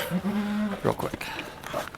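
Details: Farm goat Halley Berry at Needham Goat Farm during the birth of her triplets; a short, flat bleat of under a second, followed by a person talking quietly nearby.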